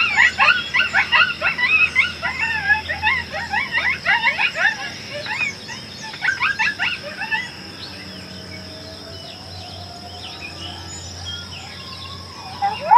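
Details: A summer chorus of coyotes yipping and howling together breaks into bursts of excited yelps. The calls die away after about seven seconds. Quiet follows, with faint distant chirps.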